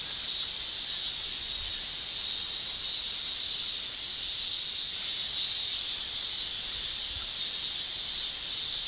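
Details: Male cicadas in Japan in summer shrilling with their tymbals: one unbroken, high, hissing drone that holds steady for the whole stretch, swelling and easing slightly in loudness, with no other clear sounds.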